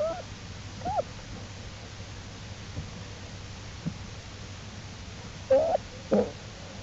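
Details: Jewel the black bear's cubs following their mother out of the den to explore, April 2, 2012, Wildlife Research Institute study; faint brief squeaks early, then two louder short whining calls close together near the end, quiet hiss between.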